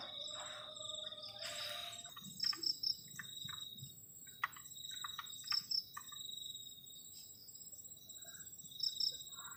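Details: Crickets chirping on a cold night beside a tent at a forest edge: a thin, continuous high trill with quick triple pulses repeating every few seconds, broken by scattered knocks and rustling from camp activity.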